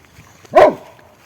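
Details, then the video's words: A giant Great Dane being pet-sat in Ploërmel, Brittany, barks at the neighbours passing by, as he does whenever something passes: a single short, loud, deep bark over quiet indoor background. "Du coup, dès qu'il y a quelque chose qui passe, ça reste un chien, il aboie, mais c'est tout. Il aboie juste un peu fort."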